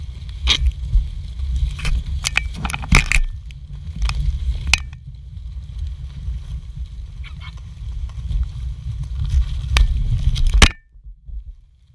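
Low wind-like rumble with sharp crackles and clicks, no clear animal call, ending abruptly.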